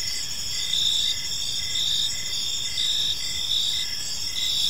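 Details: Short stretch of crickets in a park at evening, bright high-pitched chirps pulsing rapidly over a steady shrill trill, low ambient hiss underneath.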